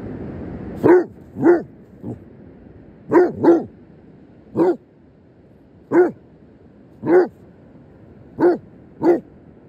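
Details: A Basset Hound gives loud, throaty barks at a crab, some single and some in quick pairs, at uneven intervals, seemingly seeking its friendship.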